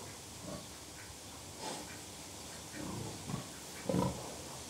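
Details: Soft grunting from contented pigs: a few brief, low, muffled grunts, one early and a small cluster near the end, over a quiet hissing background.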